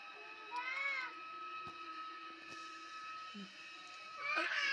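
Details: Stray male cat living in an alley of a residential complex, wary and prone to run off, being fed; two brief wavering meows, one early and one at the end, over a constant electrical hum and a woman speaking softly.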